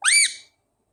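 A single short squeaky call, rising quickly in pitch and then holding briefly before fading; a thin, whistle-like note with no other sounds around it.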